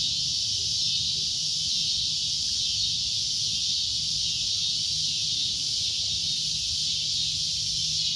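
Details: Continuous shrill drone from a cicada, an even high-pitched hiss sustained without pause across the whole stretch, over a faint low background rumble.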